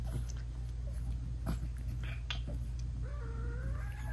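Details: British Shorthair mother cat talking sweetly to her newborn kittens, eyes still closed, while nursing them; a short wavering tonal mew rises then dips near the end over a steady low rumble, with scattered soft clicks and rustles.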